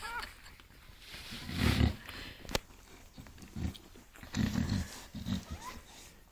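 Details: Dreaming bulldog puppies, six days old, making low rumbling growls with faint high whimpers and short squeaks scattered between them, recorded indoors.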